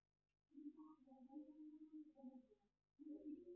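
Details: A cat filmed with night vision gives a long, low, drawn-out moaning meow with steady harmonic tones. It wavers slightly over about two seconds, breaks off briefly, then resumes with a second similar moan. The background is quiet.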